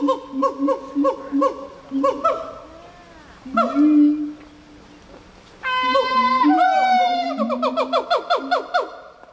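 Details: Gibbon song in rapid repeated hoots, several each second, swelling into rising, whooping glides, a quiet gap, then a loud burst of climbing notes over a steady low tone.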